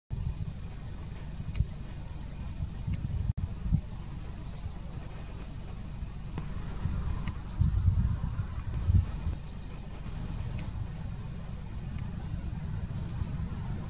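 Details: A Uinta ground squirrel at Yellowstone National Park gives sharp, high, squeaky alarm chirps at the recordist in quick doublets and triplets, repeated every few seconds.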